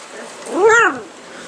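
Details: Miniature Schnauzer puppies, five and seven weeks old, exploring new surroundings: one clear, rising-then-falling whine, about half a second long and rich in harmonics, against quiet background.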